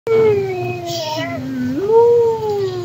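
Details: Dog howling alongside another dog indoors: one smooth tonal howl that slides down from a mid pitch, dips lower, then swoops back up and holds before tapering, with steady low hum underneath.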